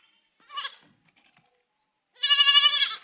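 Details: Crying goat kid: a faint short bleat followed after a pause by a loud, strongly harmonic, quavering bleat lasting nearly a second.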